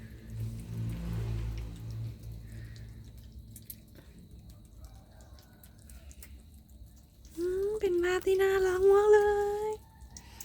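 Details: Cat in the morning giving one long, drawn-out meow that holds its pitch and rises slightly at the end. It follows seven seconds of quiet dripping and low background rumble.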